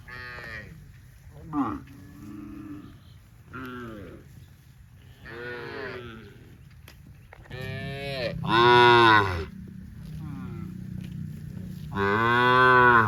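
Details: Tame cattle, dozens running in green grass rice fields on a farm; a series of overlapping moos from several animals, short and long, growing louder toward the end with strong harmonic lowing.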